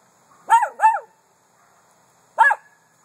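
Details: Miniature Poodle barking: a quick pair of high, sharp yaps followed after a pause by a single third yap, against a quiet background.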